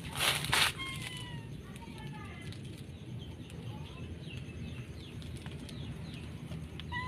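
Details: An Angora-Persian cross cat, trying to jump out of a basket, gives several short, thin meows that slide downward in pitch, over a low background hum.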